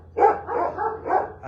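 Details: Dogs at an animal shelter bark outside in short, rough bursts while a person talks nearby on 2 April 2026. They are not reacting to bombs or fighter jets but are just barking. Dog (Canis familiaris), bark.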